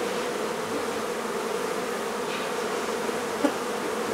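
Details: Honey bees from a hive being removed from a barn in La Feria, Texas, during relocation; a steady, dense droning hum of many bees holds evenly throughout, with one brief click near the end.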